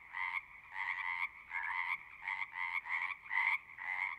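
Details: Pond frogs in a horse pasture, captured with a Zoom recorder: about eight buzzy croaking bursts, each lasting about half a second, come in a steady rhythm with short pauses between.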